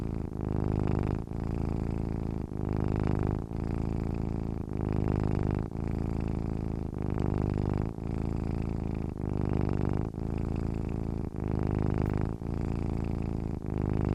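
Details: Steady purring from a sleeping cat, a low vibrating rumble rising and falling through about twelve even breath cycles, each ending in a brief break. The background is quiet.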